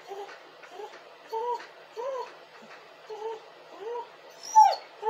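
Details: Dog crying with soft, repeated arching whimpers roughly every half second, ending in a louder, high, sharp squeal.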